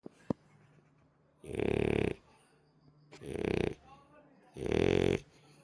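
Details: Sleeping French Bulldog, a former abandoned dog, snoring: three loud rasping snores come about every one and a half seconds, each lasting about half a second, with quiet breathing gaps between them and a sharp click near the start.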